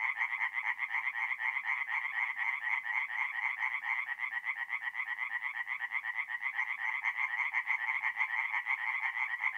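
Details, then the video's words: Many tree frogs singing together at a forest pond by night in mid-April, north-east Italy, their rapid nasal croaks merging into an unbroken, dense pulsing chorus. "relaxing forest pond by night with singing tree frogs"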